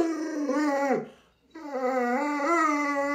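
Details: Pet Alaskan Malamute at home reacting to its owner lying sick in bed, giving two drawn-out, wavering howls with rich harmonics, briefly dipping in pitch and separated by a short silence.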